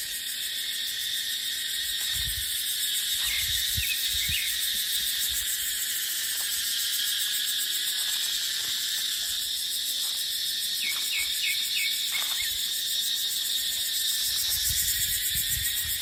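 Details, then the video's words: In a dry-season dipterocarp forest, cicadas hold a continuous high-pitched buzzing chorus, dotted with small bursts of quick chirps from other callers, plus low wind gusts. "เสียงจั๊กจั่น สายลม ในป่าเต็งรังยามหน้าแล้ง"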